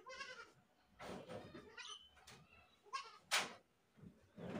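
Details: Screaming goat giving short, nasal, wavering bleats, one near the start and another past halfway, separated by noisy rustling bursts and a sharp clatter.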